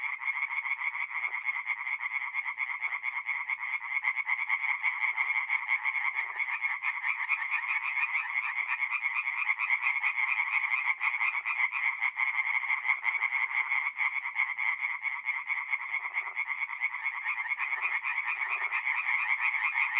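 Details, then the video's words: Tree frogs singing together by night at a forest pond in north-east Italy in mid-April; unbroken wall of fast, pulsed croaking from many callers, steady loudness throughout, with scattered deeper croaks now and then. "relaxing forest pond by night with singing tree frogs"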